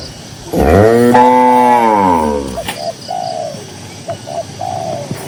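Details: Cow in a herd of dozens on a green pasture: a loud, drawn-out moo of about two seconds that swells then falls, with soft dove cooing repeating in the background afterward.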